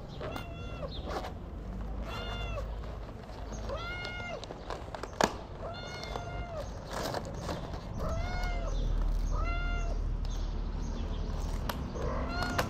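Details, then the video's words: A tuxedo cat gives a long run of bright, arching meows, each brief and similar, repeated roughly every one and a half seconds over a constant low background rumble. "The tuxedo cat is very cute and has a wonderful meow."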